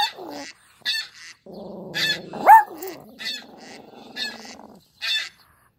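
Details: A small, feisty Pomeranian reacting to sounds gives a low, wavering growl-whine that breaks into one sharp, rising yip, with short noisy bursts around it.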